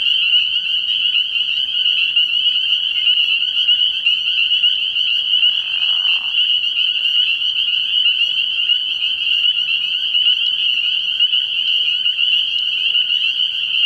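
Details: Spring peepers calling at night from a frog pond early in the year: a dense chorus of high peeps fused into one unbroken shrill ringing, with a short lower rasping burst near the middle.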